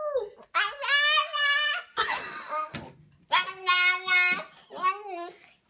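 A husky puppy gives high, wavering, yodel-like howls that rise and fall in short strained bursts.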